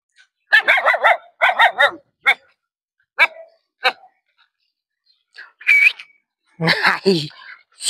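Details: Canaan desert dogs barking in quick runs of short, harmonic yelping barks, grouped in threes early on, then single barks. A thin whistled tone and a human voice follow.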